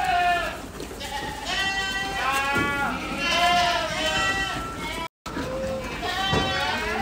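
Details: Several Ardi goats of a Kuwaiti breeding herd bleating almost continuously, long tremulous cries layered over one another, with one momentary dropout near the end and a low background hum.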